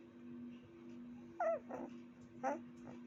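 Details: Puppy giving two brief high whimpering yelps, rising then falling, against a steady low electrical hum; faint other sounds between.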